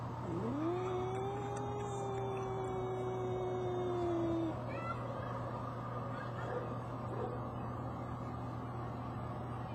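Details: Arguing brother cats: a long, sustained low yowl swoops up, then holds steady for about four seconds before stopping. Quieter sounds follow over a continuous low hum and traffic-like rumble.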